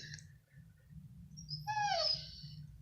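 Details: A sleepy female dog, trying to fall asleep, gives a brief, high, drawn-out whine that slides gently downward; the owner takes the sound as her way of saying she is tired.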